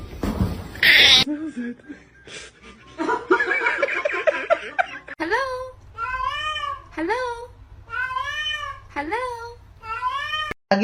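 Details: Kitten crying after some talking and laughter: a run of five or six clear meows, each rising then falling, about one per second, over a low steady hum.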